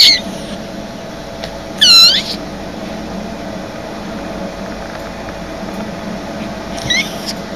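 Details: Indoor house cat giving three short, high, squeaky meows, at the start, near two seconds and near seven seconds, each with a quick rising-then-falling bend, over a faint steady room hum.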